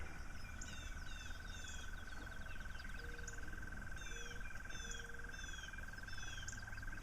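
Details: Frogs heard in the background on a morning walk along an irrigation ditch: a steady, unbroken whirring drone runs throughout, with scattered chirping birds above it.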